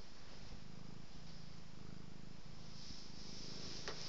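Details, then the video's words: Domestic cat purring while being petted and rolling; a steady low rumbling purr broken into pulses of about a second each with brief pauses between breaths, faint rustling above. "Petting, rolling, petting & purring"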